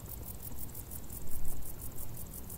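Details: Crickets chirping in tall grass in summer, a loud, rhythmic high trill of regular beats, over a noisy low-frequency rumble that swells and fades.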